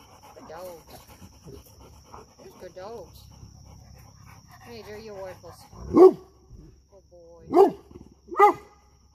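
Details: Low talk and soft whining-like sounds at first, then three loud, isolated barks from a dog guarding while a young pup seeks friendship.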